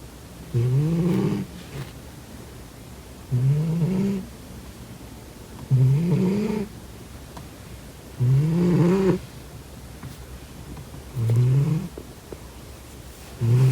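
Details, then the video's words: Domestic cat asleep and snoring steadily: five low, buzzy, slightly rising snores of about a second each, spaced evenly around two and a half seconds apart, with little else audible. "코고는 고양이 Snoring cat"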